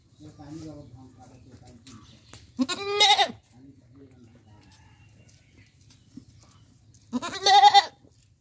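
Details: A goat in Bangladesh gives two loud, wavering bleats a few seconds apart over faint background voices.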